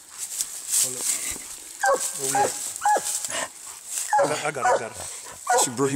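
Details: Treeing Walker Coonhound battling a raccoon: clusters of ragged, harmonic barks and bawls, some doubled in quick pairs, a short hush between bursts and hiss throughout.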